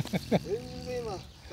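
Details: Taro, a 12-year-old French Bulldog, filmed on 15 July 2016, gives a drawn-out whining tone that rises and then slowly falls, after a few short grunting sounds, with a person speaking Japanese nearby.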